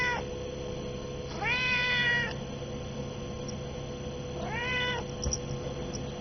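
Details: Hungry pet cat at noon, around a chicken meal, giving two drawn-out meows with rich harmonics, rising then falling, about three seconds apart, over a steady background hum.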